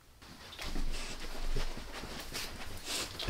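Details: Max, a dog, gnawing on a beef rib, recorded close up without talking: soft broadband crunches and wet smacks come in uneven bursts, with a louder pair near the middle and a sharp click at the end.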